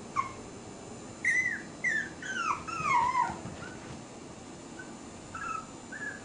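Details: Puppy in a happy mood giving a run of high, squeaky whimpers and yelps, each short and sliding downward, clustered in the middle, with a couple of softer ones near the end over faint background hiss.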